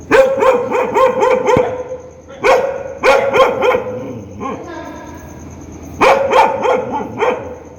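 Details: Loud, angry barking from a dog in rapid repeated volleys of sharp barks, a brief softer pause with a low murmur, then another fast burst of barks.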